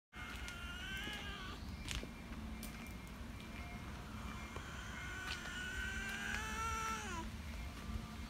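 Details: Calico park cat calling in its distinctive voice to appeal for attention: a short wavering meow near the start, then a long drawn-out meow that falls away at the end, over steady low traffic rumble.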